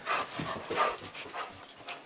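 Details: Pet dog indoors, super excited for his mom to come home, gives short high whimpering yips in quick bursts over about two seconds, with a little room noise behind.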